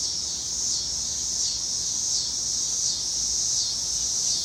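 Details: Cicadas calling in Illinois, a steady high-pitched electric hiss that swells and fades gently in slow, uneven waves over a few seconds, with no other clear sounds.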